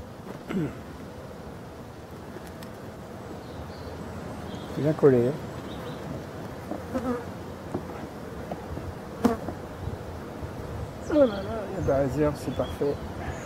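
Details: Honey bees of hive number six in Brittany, France, at the last winter feeding on 4 February 2021, before spring. A continuous low buzzing drone is heard, broken by short wavering whines around five and eleven seconds, with some handling knocks.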